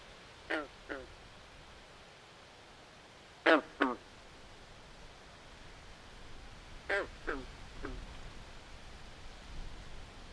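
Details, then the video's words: Frogs calling at night by a swamp: short, harsh, quack-like croaks in pairs, with bursts at about half a second, three and a half seconds and seven seconds, over a steady soft hiss of night ambience. "Natural Ambient Sounds Of Frogs At Night"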